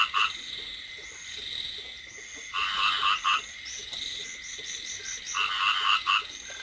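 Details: Light rain over rice fields with rice field frogs croaking in short, pulsed clusters about every two to three seconds. A steady high-pitched insect drone runs underneath throughout.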